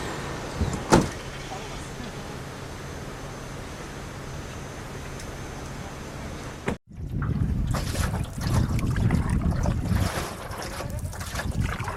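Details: Broadband rushing noise and low rumble, a brief cut, then louder clattering and bumping sounds with no animal voice.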